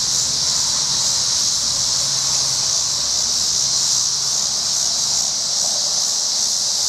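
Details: Tibicen dealbatus cicada in a tree at a Colorado I-70 rest area, evening of August 25, 2011, storm approaching, windy: unbroken high hissing buzz throughout, with a faint low hum and wind noise underneath.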